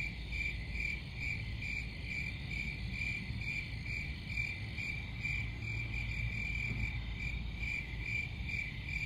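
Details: Crickets chirping steadily, a narrow high trill pulsing about twice a second over a low rumbling background; several callers blend into a continuous chorus.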